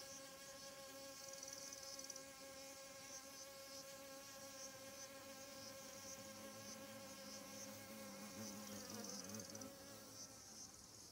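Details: Wasp at morning squash flowers, scattering honey bees collecting pollen; continuous droning buzz with stacked harmonics, swelling and wavering near the end as an insect flies close by.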